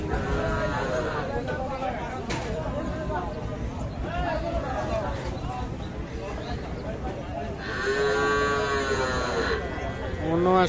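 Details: Lowing cattle at a busy market where young bulls and heifer calves are sold. Men talk over a constant crowd hum, and then a loud, strongly harmonic moo lasts nearly two seconds near the end.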